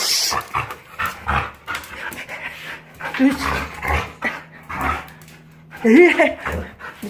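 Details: A Jindo puppy, recovered from illness, makes snorting, pig-like grunts it gives only when happy, plus soft whines, with a person talking nearby, resisting a bath after rolling on a sandy riverbed following a walk.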